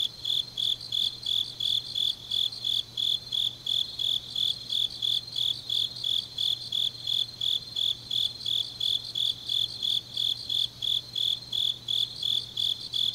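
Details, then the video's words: Deep-night autumn chorus of grass insects from Changnyeong, South Gyeongsang, Korea, with piercing high chirps that repeat without pause at close to three per second, plus a quieter insect trill and a faint low hum. "깊은밤 가을 풀벌레 소리"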